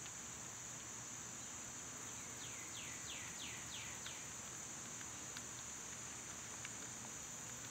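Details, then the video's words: Steady, piercing cicada drone on a summer day; a bird adds a quick run of five falling whistled notes early on, followed by a few sharp clicks. "Cicada sounds"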